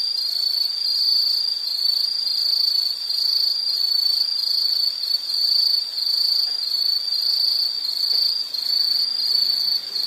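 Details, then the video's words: High, shrill insect trill that swells and fades in rhythmic waves, about one pulse each second, with nothing else audible. "Sound · Nature Sound of nature sounds scenery L · insect"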